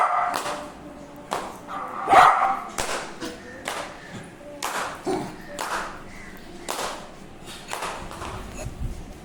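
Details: Dogs barking repeatedly in short, rough bursts roughly every second, mixed with thumps and background voices.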